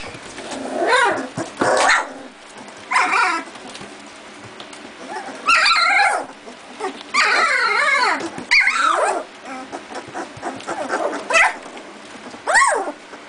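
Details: Doberman puppies two and a half weeks old, beginning to play and bark at each other before their mother comes in to feed them; high squeaky yips and short barks in bursts, some whining.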